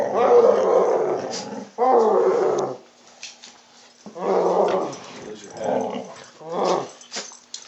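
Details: Old hound growling in annoyance during an indoor tug-of-war game with its owners, filmed on an Android phone: two long, rough, rumbling growls in the first three seconds, then shorter growl bursts, with people talking and laughing nearby.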